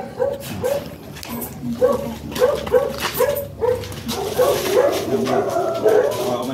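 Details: During stud service in Manaoag, Pangasinan, Michael the Chow Chow and a muzzled female make a run of about a dozen short, nasal whimpering yelps in quick succession over six seconds, with murmured voices beneath.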